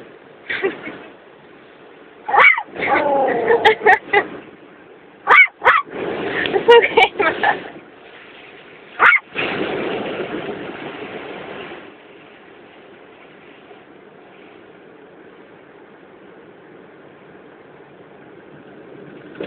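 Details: A frightened puppy named Max yelps and whines inside a car going through a car wash, recorded on a phone. The cries come in dense bursts over the first ten seconds while a person's soothing voice and steady car-wash rumble continue.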